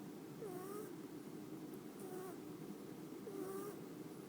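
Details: House cat asleep in its owner's lap, recorded on a phone; soft squeaky whistling snores repeat about every second and a half over a steady hiss.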